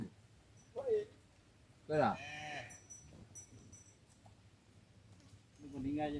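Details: Cattle being herded back to a farm barn: a short rising call near one second, then a louder, fuller drawn-out moo around two seconds, with low rumbling background and a few people speaking softly.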